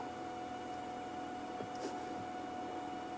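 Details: Quiet steady hum with a faint constant tone and soft background hiss, no animal calls.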